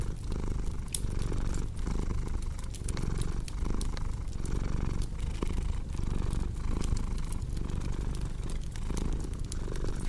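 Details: Cat purring close and steady, a deep vibrating drone broken into even breathing cycles under a second apart, accompanied by the ticking, popping crackle of a fireplace.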